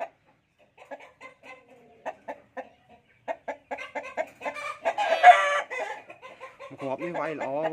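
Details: Fighting cocks for sale begin with sparse, short clucks that speed to about four a second. A loud, harsh squawk follows, then a man's voice ends the recording.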